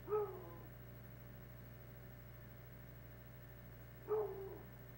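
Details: Two deep single barks about four seconds apart from Tracker, a year-old hound winding something moving through the woods behind the house; low electrical hum fills the gaps.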